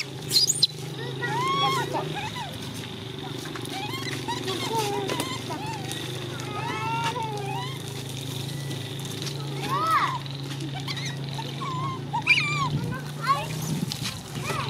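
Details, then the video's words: Scattered high, wavering cries from baby monkey Coco, rising and falling in short arcs, some clustered in quick runs, over constant low background hum and people talking. "Baby Coco is good at screaming"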